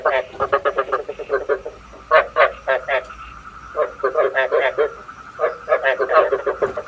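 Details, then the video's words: Frog decoy call meant for night trapping with a bát quái trap: dense, continuous runs of pulsed, grating croaks in uneven clusters, with a faint steady hum underneath. "Tiếng ếch mồi chuẩn 99,99%"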